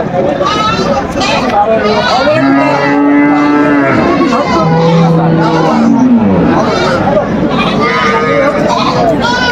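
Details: Several overlapping cattle moos, some long and level, one sliding downward, rise from a busy crowd at Aftabganj market in Dinajpur, where cows with calves were on sale on 21 June 2025.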